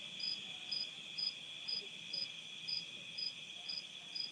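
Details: Crickets chirp outdoors at night in Nauvoo, Illinois, USA, in 2021, giving bright, clipped pulses about twice a second, evenly spaced, over a continuous shrill drone of cicadas and other night insects, with tree frogs also said to be calling.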